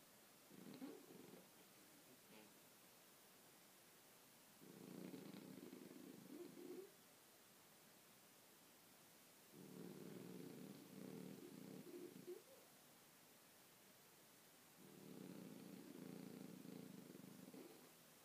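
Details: A sleeping Bichon Frise named Kobe snores steadily. Four raspy, buzzing breaths, each about two seconds long, come roughly every five seconds against a quiet indoor background.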